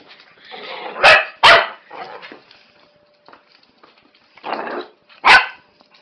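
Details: Norfolk Terrier, a 12-week-old female puppy, playing rough with an older dog at home; several loud sharp barks and scuffling growly noise, a pair of barks near the start and another near the end, with a person's voice commanding.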